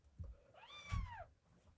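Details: Rescued male red tabby and white kitten, born March 2023 and taken in at one day old, on day 27 indoors in mid-April: one thin, high, arching meow rising then falling, with soft thumps around it.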